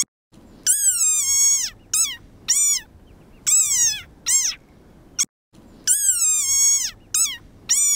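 Desert rain frog giving shrill, toy-like squeaks that slide downward, repeated in quick bursts.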